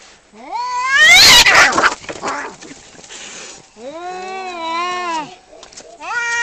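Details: Male cats fighting: loud harsh rising yowls and a screech in the first two seconds, then long wavering wailing caterwauls rising and falling, with a short rising yowl at the end.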